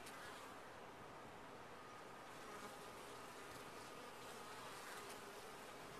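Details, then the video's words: Top-bar hive full of honey bees, giving an unbroken, thick buzzing drone that stays level from start to end, with a soft steady whine riding above it. "Bees in a topbar hive"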